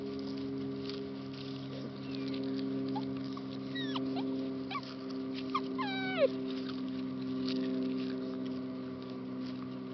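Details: Three rescue Labrador Retriever and Bullmastiff mix puppies awaiting adoption; thin, high whines slide downward near the middle, one sharper falling whimper stands out, all over a steady low electrical hum and soft pattering.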